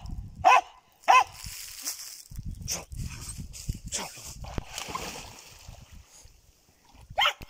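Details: German Jagdterrier giving two quick sharp barks at the start and one more near the end, separated by a long stretch of rustling, thumps and background noise outdoors.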